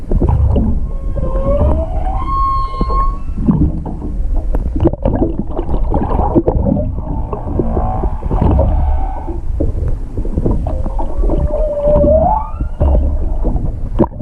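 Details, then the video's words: Singing humpback whale heard underwater off eastern Chichijima near Hakohama on 21 February 2021; rising whooping moans early and again near the end, separated by low rumbling grunts and clicks. "ザトウクジラの声「音声加工なし」Humpback whale voice "no processing""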